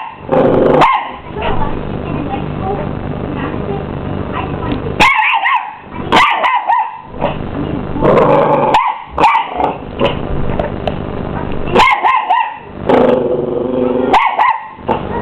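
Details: Squaring up to the hoover, a 12-week-old Miniature English Bull Terrier barks again and again in quick bursts of high, rising-falling yaps, the vacuum cleaner droning continuously underneath.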